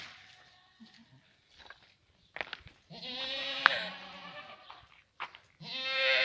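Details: French Alpine goats kept on a Moroccan farm near Guercif and offered for sale: scattered thuds, then a long, loud, trembling bleat of over a second, and another rising nasal bleat at the close.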